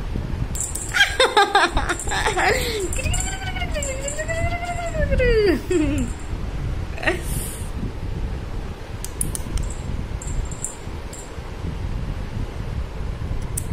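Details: Persian cat kitten at play indoors gives a run of drawn-out, wavering meows that arc up and down in pitch, with a voice speaking at the start and some rustling afterwards.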